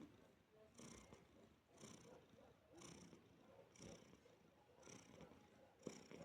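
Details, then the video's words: A relaxed house cat lies with a person and purrs, a low continuous rumble swelling and fading about once per second. "Человек и кот. Релакс"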